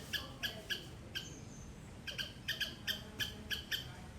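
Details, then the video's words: A squirrel in a garden in Sri Lanka calls loudly with rapid, sharp chip notes in quick runs of three to four, pausing briefly midway, then resuming at a brisk pace. "Loud Squirrel sound"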